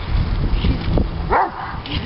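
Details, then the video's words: Diesel, a three-year-old male Doberman Pinscher having an excited fit over his beloved bubbles, lets out one short rising-and-falling yelp amid heavy low rumbling, scuffling noise and a murmur of human voice. "Doberman Viciously Attacks: ...Bubbles?"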